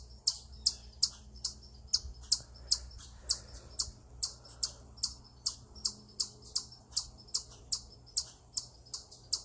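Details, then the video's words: Eastern chipmunk vocalizing on a rock in what is called a stress call: a long run of loud, shrill chips, over twenty in quick succession at a slightly uneven rhythm, with a quiet low rumble underneath. "Eastern Chipmunk Vocalizing Upon A Rock"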